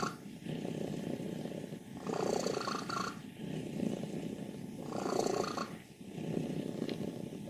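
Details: Wassilissa, an elderly happy female cat aged 14 from Leutkirch im Allgäu, Germany, in good health by her vet's word, rattles a steady low purr that rises into louder raspy swells on each breath, roughly every three seconds.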